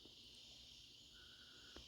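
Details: Crickets trill steadily on an autumn night in the northeast at 57 degrees, a high continuous shimmer with a faint lower tone and soft clicks.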